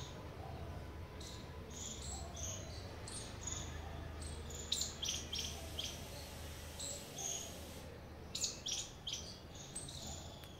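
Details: Squirrel chirping in loose runs of short, high, squeaky notes, separated by brief pauses, with a continuous low hum underneath.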